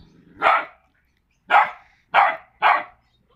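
Staffordshire Bull Terrier puppies give four sharp, high barks with pauses between them.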